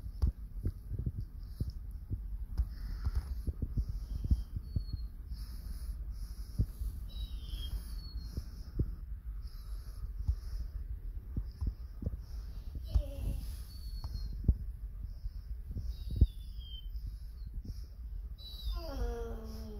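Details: Lucie, a pet Basset Hound, gearing up for Halloween with vocalising likened to a psychotic criminal laughing from a jail cell: low snuffling and grumbling throughout, ending in a rising-then-falling harmonic whine, in a quiet room.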